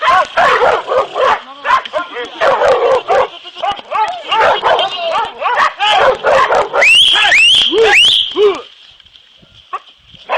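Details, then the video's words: Hunting dogs Kopoy and Barak training for wild boar hunting: a fast, steady run of harsh harmonic barks, about two per second, breaks into high, rising, squealing yelps before fading to a faint steady whine, with people's voices mixed in. "Kopoy ve Barak ın domuz avı için eğitimi"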